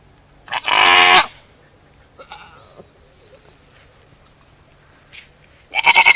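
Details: A goat gives a loud, harsh, wavering bleat lasting under a second. After a quiet stretch with faint small sounds, a second strong, quavering bleat begins near the end.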